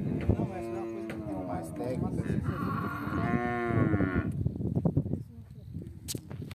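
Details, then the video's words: Angus × Nelore crossbred beef cattle mooing: two long, drawn-out lows with stacked harmonics, the second rising higher, over constant low-pitched herd rumble and scattered knocking. "Cruzamento gado de corte Angus com Nelore!"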